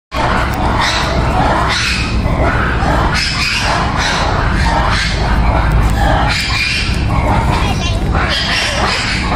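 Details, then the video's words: Noisy black-and-white ruffed lemur giving harsh, raucous, broadband calls in repeated pulsing bursts that run through the whole stretch without pause. "noisy BLACK AND WHITE RUFFED LEMUR"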